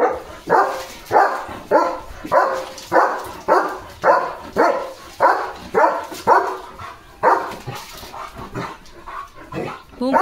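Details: German Shepherd named Leo on a quiet village morning at a farm, barking in a steady series of sharp, loud barks about once every half second, weakening and becoming less regular toward the end.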